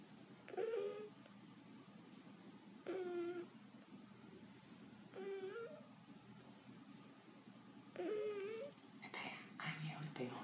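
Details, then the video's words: Sleeping house cat snores with a baby-like sound: whiny, wavering tones on each breath, spaced about two and a half seconds apart, followed near the end by a brief rustling burst and a faint voice. "Cutest cat snoring"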